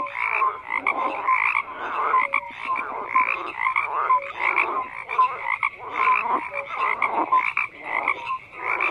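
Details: Dense frog chorus: gravelly croaks pulse in quick succession while short clear peeping notes recur about once a second, all over a continuous buzzing background of more frogs.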